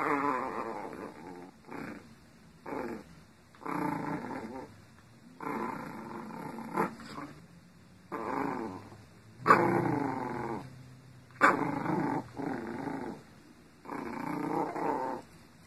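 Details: Female Shih Tzu dog indoors growling steadily, rasping rumbles repeated roughly every one to two seconds across the whole stretch, some louder bursts near the middle, with no other clear sounds.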